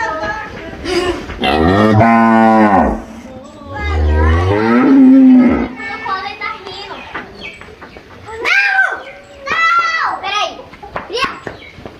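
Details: Cattle on a farm in Brazil, cows bellowing and lowing: long deep harmonic moos near the start and middle, then higher voices and children's chatter fill the rest of the recording.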